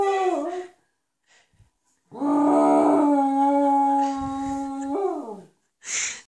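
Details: Cocker Spaniel dog howling like a wolf: a short wavering yelp, then a sustained steady tonal howl of about three seconds ending in a falling slide, followed by a brief high squeal.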